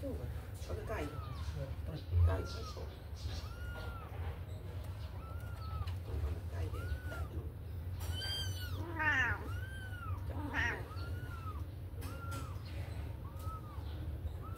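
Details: Kittens out of their cage for play give soft, evenly spaced arched mews about every second, with one louder harmonic cry near the middle, above a persistent low hum.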